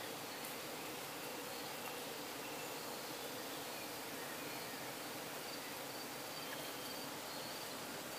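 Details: Crowded Croatian bee colony in hives on trucks, heard near dusk while honey is being extracted and the bees are calm, the camera brought close: continuous thick droning buzz, even in loudness throughout, faint insect chirps high above.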